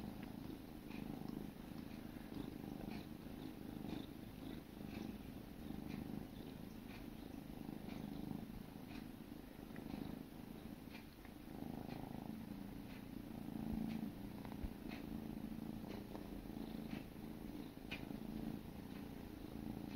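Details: Sibling kittens grooming each other, purring in a continuous low rumble throughout, with faint soft licking clicks scattered over the steady hum.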